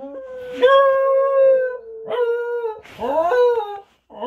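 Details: Husky, a pet dog, howling: a long sustained mid-pitched tone that swoops up at the start and slowly sags, followed by two shorter howls with rising onsets, the last one breaking upward before cutting off.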